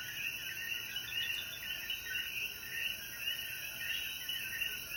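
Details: Coquí frogs in full chorus at sunset after rainfall in the mountains of Jayuya, Puerto Rico; dense, overlapping chirps pulse continuously beneath a persistent shrill insect drone.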